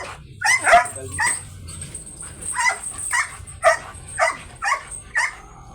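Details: Belgian Malinois, described as an aggressive dog, at a dog stud service, barking in sharp single barks about every half second, with short gaps and a steady faint hum behind.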